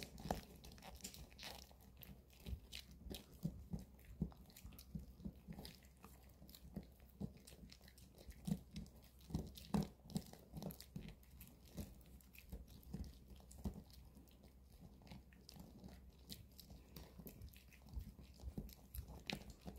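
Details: A Maltese, Bomi, and a long-haired Chihuahua, Coco, chew dog chews at home on a weekend; steady gnawing and crunching ticks go on without pause, each bite a short crisp snap against low room noise.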